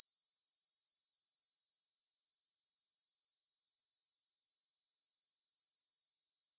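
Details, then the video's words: Grasshoppers in a field near Bryansk's Svensky monastery, Russia, at 9 pm on 6 September 2020, captured with a Tascam DR-44WL: a loud, rapid, high pulsing buzz that drops to a softer, steady trill after about two seconds. "кузнечики на лугу – Grasshopper Sounds in the Field"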